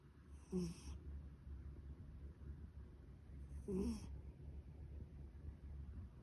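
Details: A sleeping pet cat snoring softly: two short snorting breaths about three seconds apart rise over a steady low rumble of breathing, in a quiet indoor setting.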